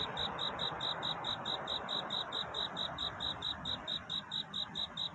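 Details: Night-time courtship song of a cricket near dawn: clear, shrill chirps repeated about four times a second in a steady rhythm, laid over a broad hiss of background noise.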